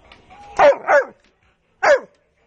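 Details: A large pet dog at home, being told to sit; a quick pair of short, punchy barks followed a second later by one more.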